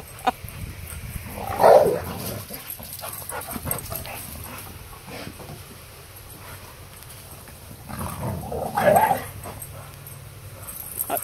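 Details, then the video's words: Two dogs, a Malamute and a pit bull, playing in a backyard with a pool; two loud growling barks several seconds apart amid low background chatter and noise. "Backyard Brawl Malamute VS Pitbull!!!"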